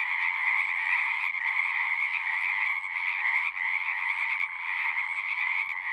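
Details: Many frogs singing at a pond in a horse pasture, a continuous buzzing trill chorus with small surges and a brief dip near the middle, steady high band dominating.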